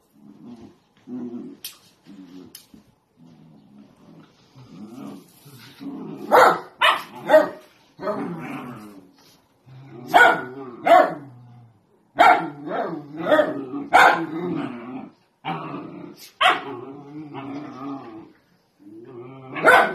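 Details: Playful miniature dachshund: a run of short, harmonic growling grunts and yaps that come in uneven bursts, some louder and sharper ones near the middle and end, with gaps of quiet between them.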